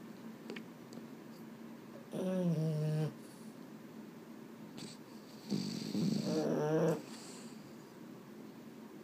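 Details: A restless Boston Terrier that can't sleep at bedtime lets out two low, wavering grumbles, each about a second long, with quiet breathing and faint rustles in between.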